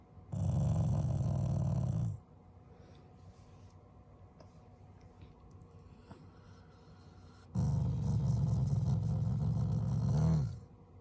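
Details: Affectionate growls from a pet Shiba Inu being squished and lifted by its owners, not angry: two deep, buzzing rumbles, about two and three seconds long, separated by roughly five seconds of near silence indoors.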